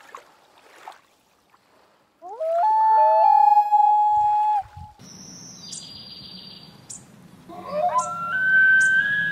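An elk bugles: a clear, rising whistled note held for about two seconds, then a high squealing tone. Further rising tones follow near the end over a low background rumble.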